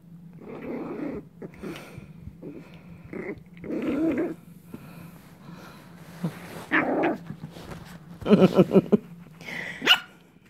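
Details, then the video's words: Coco, a dog, makes repeated short rough growls in bursts every second or two, building to a cluster of harsher growling barks near the end, over a steady low hum. "Coco - barking & growling"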